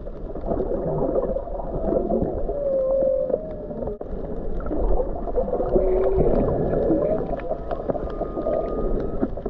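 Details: Whale song heard underwater while snorkeling off the Big Island, Hawaii, near Mauna Kea in January 2023: drawn-out moaning tones and short whistled rising-falling notes over gurgling water and bubbling noise.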